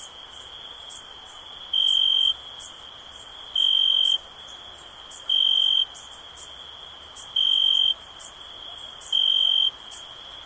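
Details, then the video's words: Relaxing cricket sound: a constant thin high ringing, with louder clear chirp pulses of about half a second repeating every two seconds and no other animals or voices. "Cricket Sounds for Sleep"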